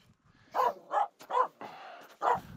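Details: Finnish Spitz Aamu barking on a snow pack while climbing Mulen, upset by two reindeer walking close; four loud, separate barks with short pauses between them.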